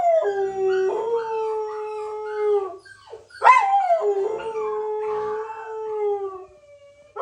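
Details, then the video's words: Puppy crying: two sustained, steady howls, each starting with a short upward yelp, the second ending as it fades away. "Puppy Crying Sound ~ Dog Crying Sound"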